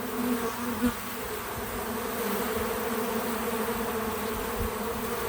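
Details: Outdoor feeder on a small farm with bees at work: a smooth, level hum in two stacked tones runs throughout, with one brief louder pass early on and light background rustle.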